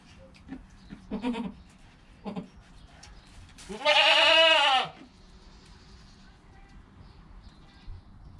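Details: Goat kid less than an hour old: soft low murmurs and small bleats, then one long wavering bleat, followed by quiet rustling.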